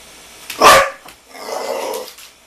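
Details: Pit Bull barking at a basketball: one loud, sharp bark followed by a softer, longer, rough mid-pitched sound.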